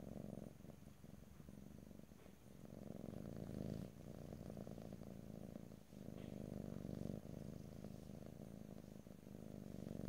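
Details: Close, continuous purring of a house cat, a deep rumbling buzz rising and falling with each breath, with short gaps near four, six and seven seconds and no voices.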